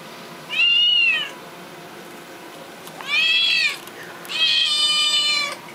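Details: Young male seal point Siamese cat indoors, testing out his voice, probably upset; three loud drawn-out meows, each under a second, the first falling slightly, the last two brighter and more strained, with quiet gaps between.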